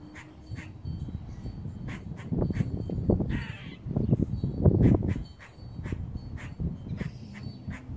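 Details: Squirrel giving a warning call from a house roof: short sharp chucks repeated about twice a second, with one longer raspy squeal midway, over heavy low rumbling wind or handling noise.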